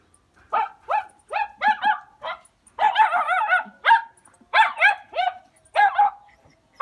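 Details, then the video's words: Hunting Jack Russell Terriers bark in a quick steady series, sharp harmonic yaps about twice a second with a short run of overlapping barks from more than one dog, loud and close over a quiet background. "Hunting Jack Russell Terriers"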